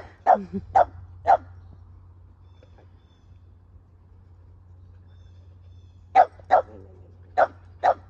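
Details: Keeshond, a pet male dog, barking while affectionate with his owner: short sharp barks in pairs and triplets, three near the start and four more after a quiet gap, over a steady low hum.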